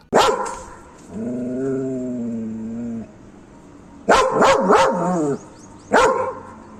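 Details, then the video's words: Dog barking, one of several powerful guard dog breeds: a sharp bark, then a long whining howl, a rapid cluster of barks with a yelp, and one last bark over faint background hiss. "DOGS BARKING to Make your Dog Bark | Dog Breeds Barking Sound Effects HD"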